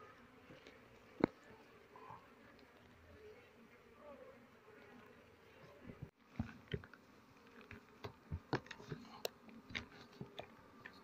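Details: Honey bees at a hive during the honey harvest season, opened with smoke while the comb is sliced with a knife; a steady low buzzing hum runs throughout, with scattered clicks and handling knocks.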